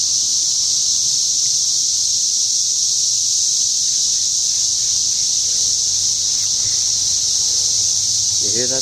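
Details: Loud continuous cicada chorus recorded outside a home, a high shrill buzzing wall of sound without pause; a brief human voice enters right at the end.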